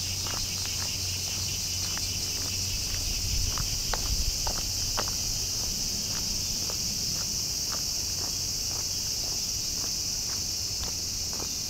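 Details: Bear cicadas singing in the summer heat during the summer holidays: a steady, dense, high-pitched buzzing drone fills the air without pause, with scattered sharp clicks like footsteps or tapping throughout.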